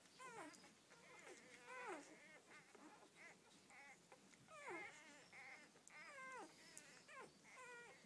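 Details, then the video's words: Young Rhodesian Ridgeback puppies from a first litter of twelve whimper in drawn, downward-sliding squeals with bright harmonics, several pups calling at once amid light rustling. "My Rhodesian ridgebacks first litter"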